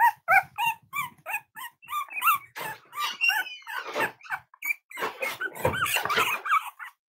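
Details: Playful Cavalier King Charles Spaniel puppies romp together indoors: a rhythmic string of high yaps gives way to scuffling, soft growly grumbles and mixed squeaks as the play grows rougher.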